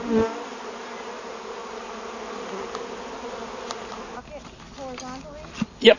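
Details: Upset honey bees swarming around a big hive found in a fallen tree by the Merrimack River on a hot summer day; continuous humming drone, then a human voice and handling noises toward the end.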